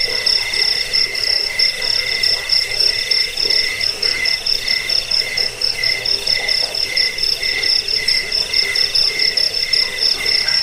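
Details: Continuous cricket chirping, high and ringing, pulsing a little over once per second in uneven runs, over a soft lower buzz.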